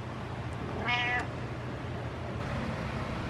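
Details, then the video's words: House cat joining in on its owner's home workout with a single short, bright meow lasting roughly a third of a second, over quiet room hum and soft background noise. "My Cat Helps Me Workout With Meows"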